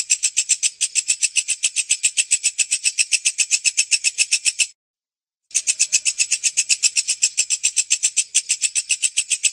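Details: A katydid (walang kecek), a grasshopper-like insect prized for its song to train songbirds, gives a steady run of sharp, high, buzzy chirps, about three or four each second.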